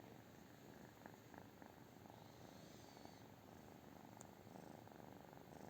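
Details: British Shorthair cat purring quietly indoors, a soft continuous pulsing rumble throughout with no other clear sounds.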